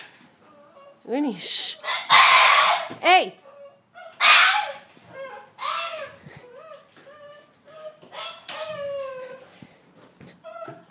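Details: Winston, a Boston Terrier, greets his owner home from a weekend away with loud screaming: rising whining yelps, several harsh full-throated screams and a long wavering cry, with the owner's voice talking over it indoors.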